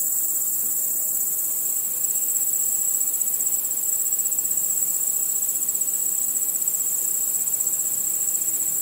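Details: Crickets at night among other nocturnal insects: a continuous, high-pitched pulsing chorus that grows slightly louder after the first two seconds, steady and dense.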